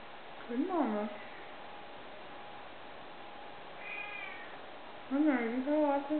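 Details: Siamese kittens at a cattery in Southern Maryland, sleeping; a wavering drawn-out meow near the start, a brief thin high squeak midway, and two bending, sliding meows at the end over a steady faint hum.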